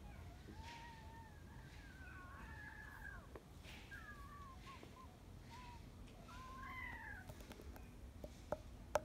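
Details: Mudhol Hound puppy, one of a litter of six born 16 November 2020, playing with its mother Jimmy, who calms it: a run of high, wavering whines and whimpers that rise and fall, some drawn out and bending, with a few sharp clicks near the end.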